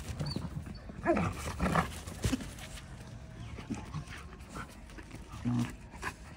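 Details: German Shepherd dog offered for sale, giving a few short, rough bursts of sound near one, two and five and a half seconds over a steady low background hum, with faint panting between them.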